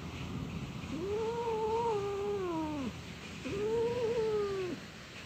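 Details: Sulking orange pet cat makes two long, low, wavering moans, each lasting over a second and bending down at the end, with a short gap between them in a quiet room.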